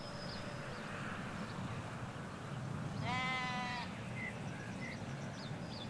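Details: A single rich, quavering bleat, nearly a second long, from sheep grazing a Hampshire countryside field where ewes and lambs graze by a hedge; soft low road rumble and a few thin bird chirps fill the rest.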